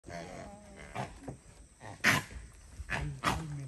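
Proboscis monkeys trade short, harsh growls in brief bursts, with a person's voice in between.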